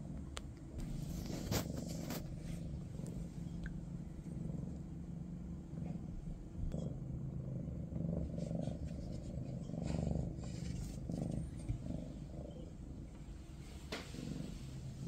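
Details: Maine Coon cat with the family of kitten Ada, a low continuous purr under scattered brief clicks and rustling movement sounds.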